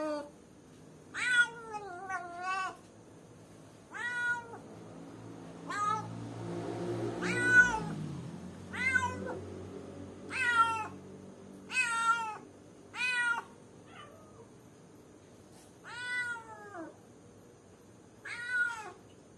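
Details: Caged cat left alone keeps calling for someone: about eleven bright, clear meows repeated every second or two, each a short rising-falling wail. A brief low rumble of background noise sits midway.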